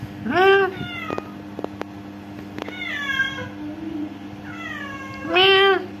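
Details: Orange cats that come to a home give loud, rising-falling meows: a strong one at the start, fainter drawn-out mews in the middle, and another loud meow at the end, over a constant low electrical hum.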